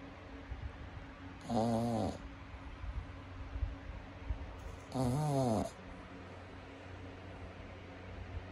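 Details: Sleeping pug snoring indoors: two drawn-out, wavering nasal snores roughly three seconds apart, each lasting about half a second, over a low steady background hum.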